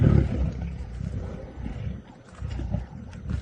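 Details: Lions of the Nkuhuma Pride in Djuma, Sabi Sand, South Africa, on a sunset drive on March 13, 2018, squabble over the last remains of a buffalo carcass, giving deep, continuous rumbling growls and snarls with surging bursts.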